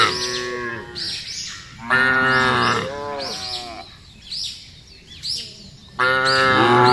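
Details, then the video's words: Field cows mooing repeatedly, short harmonic moos that dip and waver, with a long loud moo at the end and faint high chirps in the background. "FUNNY SOUND OF COWS IN THE FIELD..SUARA SAPI LUCU"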